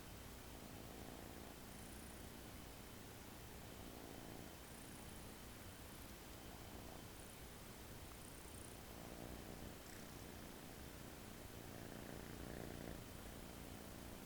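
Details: American Shorthair kitten asleep on a person's arm on its first day home, relaxed and snoring: soft, rhythmic, breathy rumbles repeat about three times a second, low and faint under steady room hiss.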